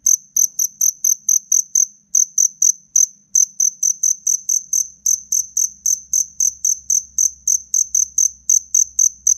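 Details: A black cricket chirps aggressively while fighting, giving a steady run of shrill, high pulses, about four per second, nearly unbroken over the whole stretch, with a soft low rumble near the end.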